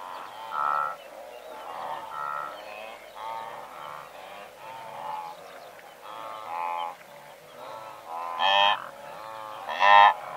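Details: Several hundred blue wildebeest in a herd, heard from medium close range: a steady chorus of overlapping nasal, honking calls, irregularly repeated, with two louder, brighter calls near the end standing out.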